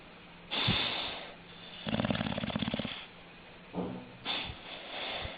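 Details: Snoring dog with an underbite, eyes rolling back: short snorting breaths, then a rattling, pulsed snore of about a second, followed by brief snorts and sniffs in a quiet room.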